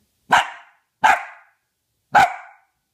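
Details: Female Dachshund indoors barking on cue while being taught to count, three short sharp barks roughly one second apart, each a clean loud burst fading quickly, answering the count with quiet between barks.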